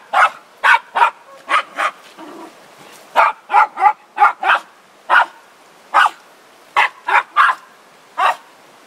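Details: Zorro, a Border Terrier of Ottercap Miracle Drug breeding, gives sharp yapping barks in clustered bursts of two to four, separated by brief pauses, repeated across the stretch with little else in the background.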